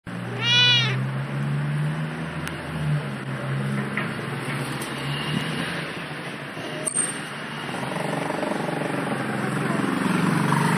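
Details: A familiar cat, on this day in a different spot than usual, gives one loud rising-falling meow at the start, followed by a steady traffic rumble and passing vehicle noise.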